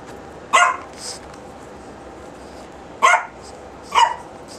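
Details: Female Chihuahua at home giving three short, sharp yips at about 0.5, 3 and 4 seconds, each a bright burst, with a softer fourth sound after the first and a low steady background hiss.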